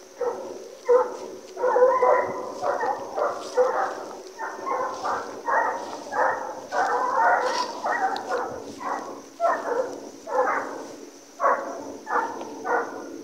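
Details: American Foxhound pack on a deer hunt, flushing and chasing deer: loud, ringing bays from several hounds repeat in quick, overlapping bursts about twice a second, rising and falling in volume as the chase runs on.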